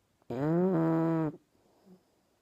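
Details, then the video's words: Single long, tonal snore from Dobi, a sleeping English Bulldog puppy, lasting about one second with a slight pitch dip midway, followed by quiet. "Английский бульдог храпит!"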